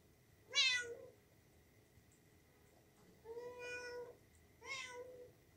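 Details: Kitten meowing indoors: three clear, high, harmonic meows, a sharp one at the start, then a longer drawn-out call and a final shorter one, with quiet pauses between.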